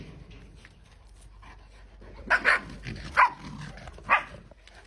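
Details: Playing puppy lets out four short, sharp barks in the second half, two close together, then two spaced singles, over quiet background and faint Georgian speech.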